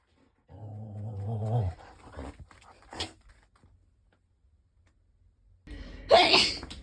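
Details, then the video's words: Pet dog responding when someone sneezes: a low, drawn-out grumbling vocalization lasting about a second, then quiet rustles, followed by a brief sharp noisy burst near the end. "재채기하면 뭐라하는 강아지"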